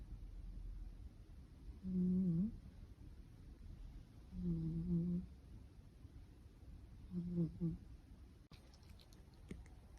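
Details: Blue British Shorthair kitten snoring indoors: three soft, humming, slightly wavering snores about every two and a half seconds, fainter than before, followed by light rustling and clicking at the end.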